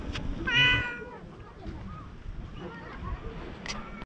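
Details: Stray cat on a Japanese cat island, filmed with a GoPro HERO8, gives one short, bright, harmonic meow early on. A low outdoor rumble follows, with faint scattered sounds and a sharp click near the end.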